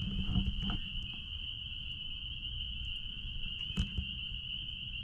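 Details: Chorus of spring peepers behind a blueberry farm, merged into one continuous shrill high whine, with low-frequency rumble beneath and a couple of brief clicks or thumps.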